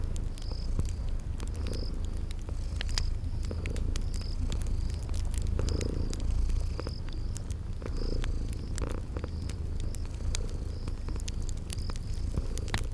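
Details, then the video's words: Sleeping kitties purring steadily, a deep continuous rumble with gentle pulsing, over crackling fire pops and repeated short high chirps in a cozy spring garden ambience. "Relax with Cute Sleeping Purring Kitties"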